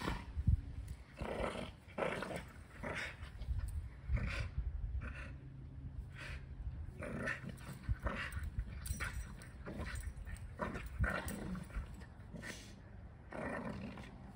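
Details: Heidi, an 8-month-old female European Doberman, gives low, gravelly growls in uneven bursts with brief snorts and huffs while rough-and-tumble playing with a 5-year-old English Bulldog; scuffling and thumps fill the gaps.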